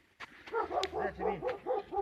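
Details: Dog giving a fast run of short, arched yapping barks, about four per second, fairly distant and soft, with faint outdoor background.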